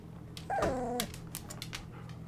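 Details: Golden Retriever puppy, twenty-five days old, in a whelping box in the evening: one drawn-out whimper, wavering and sliding downward for about half a second, followed by light clicks and scratching against low indoor hum.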